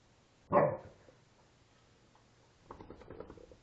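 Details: Indoor play between a five-week-old female Alaskan Malamute pup and her father: one sharp, harmonic yelp-like bark opens, followed by quieter scuffling and a soft, broken vocal murmur.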